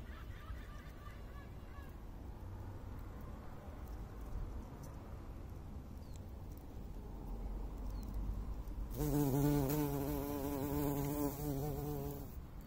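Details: A buff-tailed bumblebee on a crocus flower gives a deep, droning buzz that swells loudly near the end.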